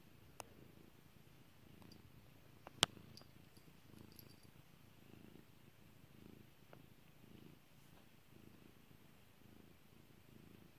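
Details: Kairi, a pet cat, purrs as she is stroked; soft low rumbling bursts repeat roughly every second, broken by several loud pops and clicks.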